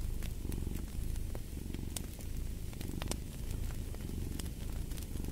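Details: Deep, continuous purring from a cat, rhythmic rumbling that rises and falls with each breath, while scattered crackles of a burning fire snap above it.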